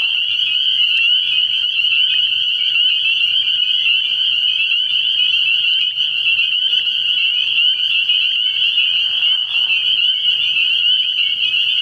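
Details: Spring peepers calling at night in early spring at a frog pond: a dense, unbroken chorus of many overlapping high, shrill peeps forming a steady ringing wall of sound, with only a faint low hum beneath.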